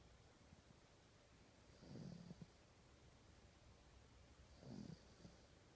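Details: Toy Poodle named Rocky, a family pet, sleeping soundly: two soft, low, rasping snore breaths about three seconds apart, each a brief rough swell, over quiet room noise.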